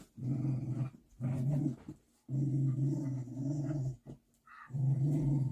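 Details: Large young dog growling beside its mother, to whom it defers; low rumbling growls in four long bursts of about a second each, separated by short pauses, with a faint higher sound near the end.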